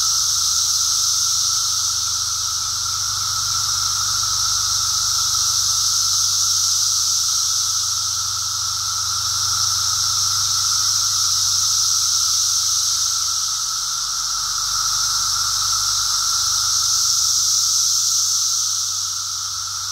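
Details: Brood X periodical cicadas during their emergence, a dense, steady high-pitched droning chorus that swells and eases gently every few seconds, with no breaks across the whole stretch, recorded outdoors on a walk.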